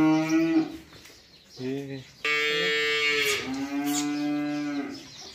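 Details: Cattle, a big bull and a small cow in a clash; several loud harmonic moos, a short one, a brief second call, then a long sustained bellow that sags in pitch toward the end, close and clear.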